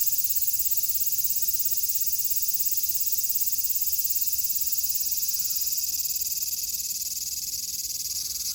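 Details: Japanese cicadas in summer 2022 producing a continuous high, hissing drone with quick pulses, slightly fading toward the end; no other clear sounds.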